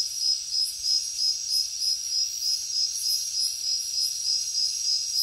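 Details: High cricket chirps pulse steadily, roughly three per second, over a continuous shrill insect drone with soft higher buzzes drifting in and out.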